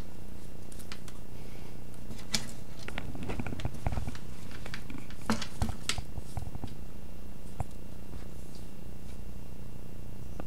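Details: Low continuous purring from a cat at play, a deep, smooth drone throughout, overlaid by frequent soft clicks and rustles, loudest early on, in a small indoor room.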